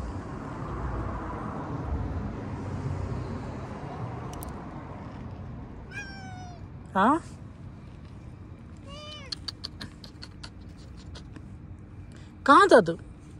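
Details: Cat outside by a tree, giving several short wavering meows spaced apart, alongside human speech and low rumbling outdoor noise.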